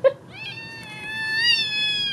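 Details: Female kitten indoors meowing for attention: a short click followed by one long drawn-out meow, steady then slightly rising toward the end, rich in harmonics, lasting nearly two seconds.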